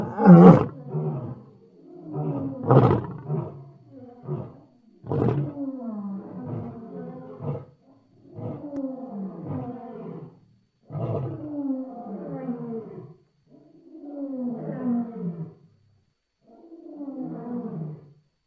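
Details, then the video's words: Lion roaring in a long series: loud, rough opening roars then repeated groaning grunts that gradually weaken and lengthen, each falling slightly in pitch. "Gerçek Aslan Sesleri Yüksek Kalite | Lion Sounds in High Quality"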